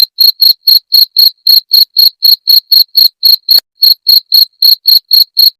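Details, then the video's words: Cricket sound used against rats: piercing, regularly paced chirps about four per second, each a brief buzzy burst, with one short break and click near the end of the run. "Suara Jangkrik pengusir tikus"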